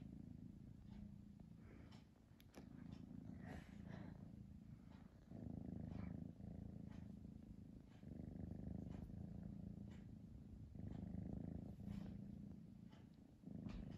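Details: Domestic cat purring while torn between sleeping and playing; a steady low rumbling purr in long pulses of about two seconds, swelling and easing with each breath, with faint soft clicks and rustles.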